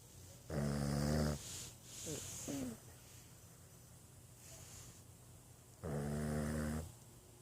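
A Boston Terrier snores in deep, rumbling, buzzy breaths spaced about five seconds apart.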